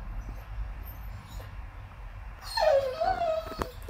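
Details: Whippet whimpering in frustration over a chew bone stuck inside his rubber ball: after a quiet stretch with a faint background hum, a sharp high whine slides downward and wavers for about a second, ending in a click.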